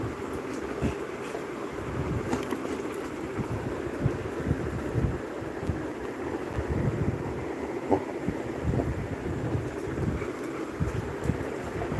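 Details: Continuous rumbling wind and vehicle-like noise fills the recording, with no animal voice heard.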